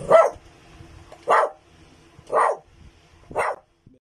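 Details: Belgian Malinois barking on command during morning obedience and trick training before feeding; four loud, clipped barks, spaced about a second apart, each a short burst with quiet gaps between.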